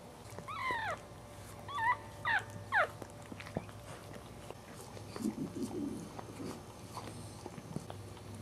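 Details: Fourth newborn puppy of a Cairn Terrier litter, just born, squeals in short bursts of high wavering cries, four in the first three seconds. Then come quieter low shuffling sounds and faint clicks against a background hum.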